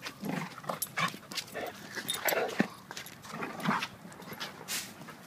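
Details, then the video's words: Play wrestling between two dogs, a 7-year-old blue/red pitbull named Duke and a 7-month-old German Shepherd named Lucy; frequent rasping growls and snorts come in quick bursts amid thumping movement. "Pitbull vs. German Shepherd wrestling match"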